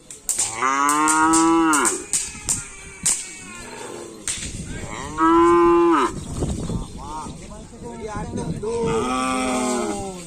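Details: Cattle at a karapan sapi bull-racing gathering, mooing loudly in three long, drawn-out, harmonic calls that rise slightly and fall. Short clicks and snaps, faint crowd noise and voices sound between the calls.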